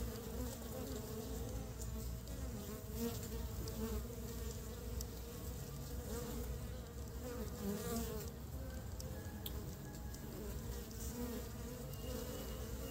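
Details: Honey bees collecting pollen for the nest in early spring; a dense, constant low buzz with wavering overtones over a rumbling background, with no clear breaks.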